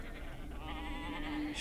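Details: A sheep's bleat, drawn-out and tremulous with a wobbling pitch, held for over a second and ending in a short hissy burst.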